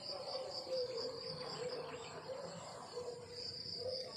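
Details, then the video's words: Crickets chirping on a countryside morning: a steady high, thin trill runs throughout over a soft background hum, with a faint lower murmur underneath. "The beautiful sound of crickets chirping in the countryside in the morning"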